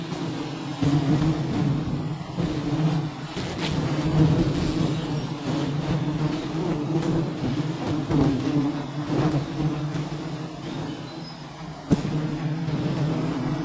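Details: Honey bees at a beehive tree holding eleven hives: a dense, steady low hum with a constant drone, overlaid with rustling crackle and a few sharp clicks, including a brief louder snap near the end.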